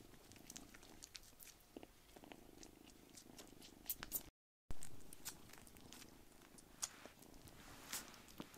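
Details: Rescued foster kittens crowd onto a lap indoors, one small kitten pushed aside by its older brothers; a soft low continuous purr rumbles under scattered rustling clicks and faint handling noises, with a brief gap midway.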